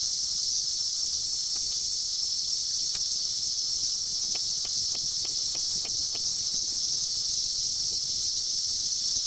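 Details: Seventeen-year cicadas in their 2004 emergence, mating swarm: continuous high buzzing drone, with a short run of faint clicks or taps ticking over the wash midway.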